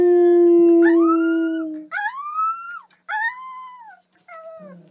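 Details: Dog in a lighthearted compilation: a strong steady howl, then a series of three short arched, whining yelps separated by brief pauses, ending in a low murmur.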